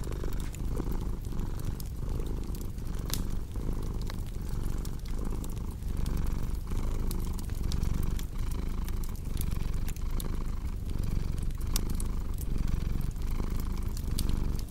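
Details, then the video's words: Steady, deep cat purring that swells and dips in regular breathing cycles, mixed with the soft, scattered crackle of a burning fire. "Purring Cat with Cozy Crackling Fireplace Sound"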